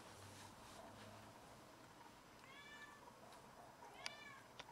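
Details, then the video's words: A domestic cat that caught a rat and brought it home to show off gives two clear meows in quick succession, the second louder, followed by a sharp click, indoors. "Cat caught a rat and brought it to brag about it!"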